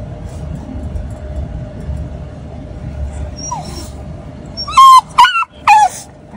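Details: Shiba Inu named Tida, a friendly pet dog born 8 May 2022 in Nagasaki, sired by a mame-shiba, with a red coat tinged sesame. After a soft rising squeak comes a burst of three loud, high, falling whines or yips, over a low steady hum.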